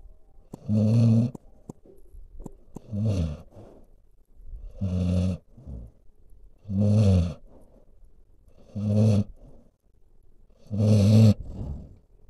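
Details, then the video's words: A dog asleep, snoring steadily: six throaty, rattling snores roughly every two seconds, each followed by a brief quieter breath, with a faint background hum. "Boop my Snoot I'm snoring!"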